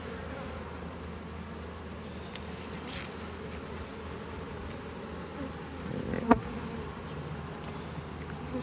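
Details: A disturbed honey bee colony buzzing after frames are pulled from the hive during harvest; the constant low hum is broken by a single sharp click partway through.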